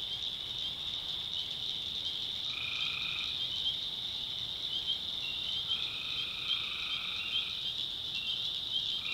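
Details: Tree frogs at night in the backwoods swamps of North Carolina, a constant shrill chorus with a few longer trilled calls, one near the start and a drawn-out pair toward the end.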